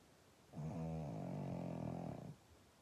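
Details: Low, rumbling snore from a pug, a sustained nasal drone of nearly two seconds with a rich, buzzy tone and a sharp start and stop, in a quiet room.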